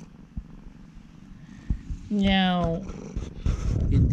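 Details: Affectionate ex-rescue cat Urara purring with a soft steady rumble during a chat with her owner, with a short sustained voiced tone partway through and rustling handling noise toward the end.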